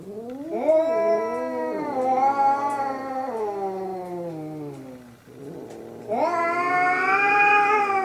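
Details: Two domestic cats, one with a mole-like spot and one black-and-white, in their third fight, caterwauling: long, drawn-out, wavering howls that slide up then slowly sag in pitch, two voices overlapping, a brief pause, then a louder rising wail.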